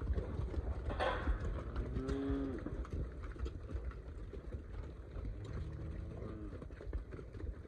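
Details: Angus weaner heifers give two low, drawn-out moos, one after about two seconds and another near six seconds. Each is a short, steady lowing call, heard over rumbling ground noise and a brief clatter.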